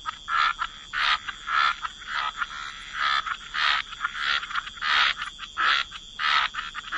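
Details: Frogs by the waterside in wetlands croak in a busy chorus, harsh rasping notes tumbling over one another about every second.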